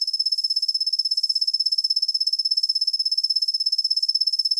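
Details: Steady high tinkling trill from a kusa-hibari cricket, Svistella bifasciata, a species calling mostly from dawn through the morning; fast, regular pulses run without a break for the whole stretch, gentle on the ear.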